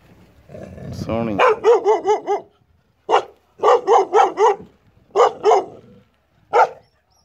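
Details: A Gaddi dog, a Punjabi breed used for herding and guarding, in Punjab, barks loudly in rapid bursts of three to four deep, ringing woofs separated by short pauses, about eleven barks in all, after a low growl-like rumble.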